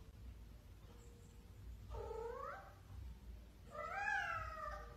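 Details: House cat letting out two drawn-out meows, each sliding up and then down in pitch, the second louder and longer, about two seconds apart in a quiet room.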